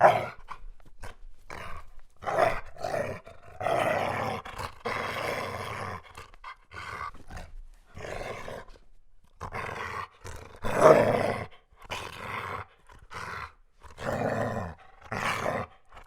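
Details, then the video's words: German Shepherd dog barking in rapid, uneven series of short harsh bursts over sixteen seconds. Loudness varies, and one louder bark stands out near the middle. "GERMAN SHEPHERD Sounds for Kids - Barking, Howling, Breathing Sounds of German Shepherd Dogs"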